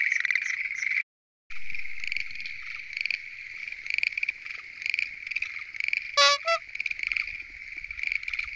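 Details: Chorus of Schlegel's green tree frogs from a lotus pond at night. Many overlapping pulsed croaks form a constant rattling din, broken by a brief dropout near the start and two short loud noises past the middle.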